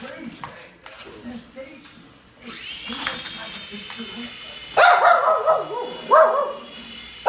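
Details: A Shih Tzu gives a few sharp, high barks at a "heli" (helicopter) over a steady mechanical whine.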